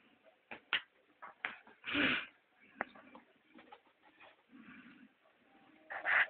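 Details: An 8-week-old male Shih Tzu puppy from Hungary, playing, gives short, high yips and a squeaky whine in scattered bursts.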